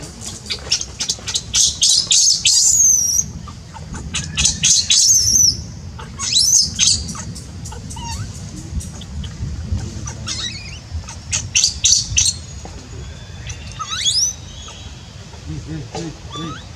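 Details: Lucie, a baby monkey in Cambodia, cries in bursts of sharp, high squeals. Clusters of rapid shrieks are separated by short pauses, with a few thinner whistled notes near the end over a low background hum.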